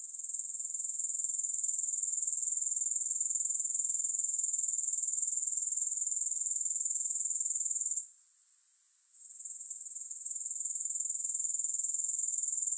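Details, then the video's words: Grasshoppers giving a high, even trill pulsing about four times a second, dropping away for a second or so midway, then building back to full strength. "3 Hours of Grass Hopper Sounds"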